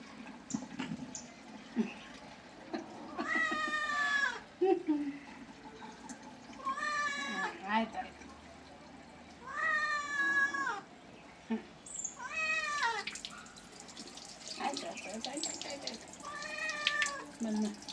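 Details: Domestic cat being bathed, giving about five loud, drawn-out meows spaced roughly three seconds apart, each rich and wavering, some arching up then falling in pitch, with human voices heard at times between calls.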